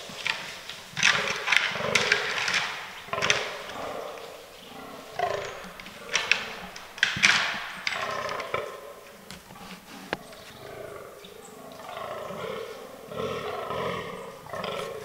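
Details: Fallow deer bucks in an autumn forest during the rut, in a herd that includes albino and melanistic animals; harsh, belching groans come in repeated bursts, with sharp clicks and knocks between them.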